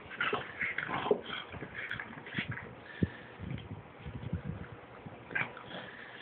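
A Boston Terrier gives excited whimpers, yips and grumbling growls during rough play.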